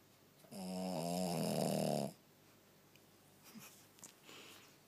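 A Shih Tzu gives one long, rattling snore that fades into quiet breathing.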